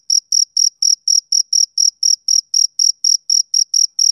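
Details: Male cricket singing a tidy series of sharp, high chirps, about sixteen in quick, even rhythm, with silence between pulses.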